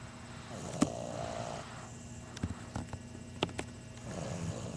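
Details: Chunk, an 11-week-old English Bulldog puppy, snores with soft, rasping breaths and a few brief clicks and snuffles.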